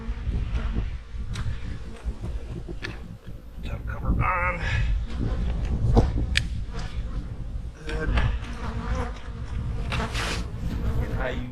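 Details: Honey bee hives in autumn, readied for winter, give a dense low hum with a broad, rumbling drone and scattered sharper bee fly-bys passing over it.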